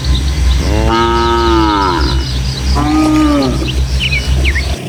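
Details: A herd of tame village cattle moving along countryside paths toward their pen: one full, resonant moo is followed by a shorter, quieter one. Scattered bird chirps sound above and a soft wind rumbles low.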